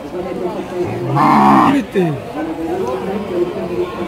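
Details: Improved-breed Indian bull at the Chaubaria cattle market, Manda upazila, Naogaon district, recorded 21 September 2018; a loud, drawn-out bellowing moo rich in harmonics rises mid-recording amid surrounding human talk and chatter.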